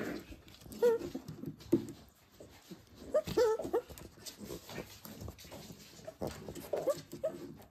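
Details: {'caption': 'Pembroke Welsh Corgi puppies, born 31 January 2023, playing together indoors: short high squeaky whimpers in small bursts every few seconds, mixed with soft snuffles and rustling.'}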